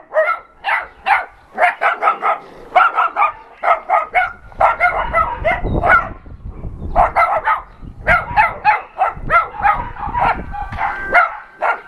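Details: Shelter dogs at an adoption center calling out during a visit from an NRK TV crew. A chorus of loud, choppy barks repeats about once a second with irregular spacing, and a low rumble of handling noise runs underneath.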